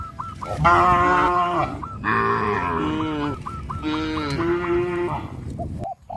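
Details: Cows being herded along a countryside road by a farmer, giving long, loud, deep moos of about a second each, three in close succession, while short, hooked, high chirping calls repeat steadily in the background.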